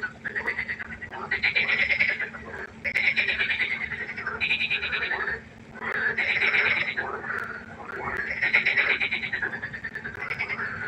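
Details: Pond frogs at night croaking in long rattling bouts lasting one to two seconds, rapid pulses repeated in waves, brief lulls between bouts, many animals overlapping over a soft constant hum.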